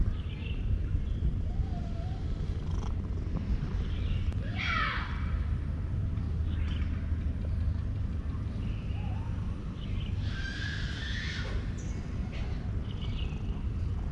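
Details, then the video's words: Petted male cat purring in contentment, a low, even rumble held for the whole stretch, overlaid by scattered short high chirps and swooping whistles. "Cat purred loudly to show his satisfaction with my petting."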